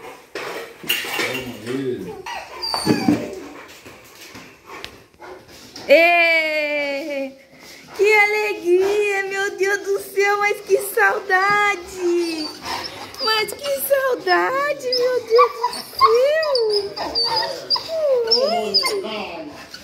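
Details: Rottweilers greeting their owners indoors after two days apart, overjoyed: long high whines and yelping, wavering cries rising and falling in pitch, mixed with an excited woman's voice talking over them.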